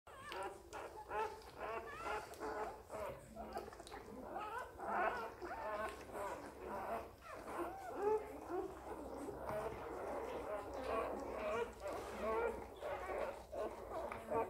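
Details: Newborn Border Collie puppy squeaking at birth, filmed live during the whelping: thin, wavering high whines rise and fall in quick overlapping bursts throughout, with music playing underneath.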